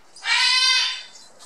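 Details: A 57-day-old Border Collie puppy, one of the litter of Sweet and Indi, lets out a single loud, high, drawn-out squeal lasting almost a second, steady in pitch and then fading.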